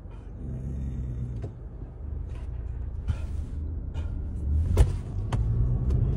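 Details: A deep vehicle rumble runs throughout, broken by a few sharp clicks and knocks, with no animal voices.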